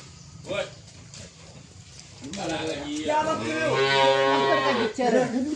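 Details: Dwarf cattle calf mooing: a long harmonic-rich moo swelling from about two seconds in and holding for nearly three seconds, preceded by a faint short call and light background murmur.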